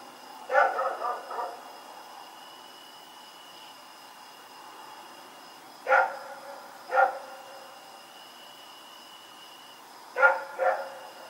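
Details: Rex barks while running around outdoors at night in Pyrga on October 7, 2018. A quick burst of three barks opens, then single barks follow about five and six seconds later, ending with a double bark. Constant thin high tones hum beneath.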